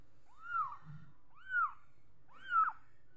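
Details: Kitten giving three high, arched mews about once a second, each rising then sliding down, with soft low rumbling in between.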